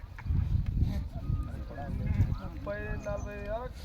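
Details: Sheep from a farm flock of 66 breeding ewes with 22 lambs, with buyers gathered to bargain; one quavering, wavering bleat of about a second comes after men talking in Telugu, over a low rumbling background.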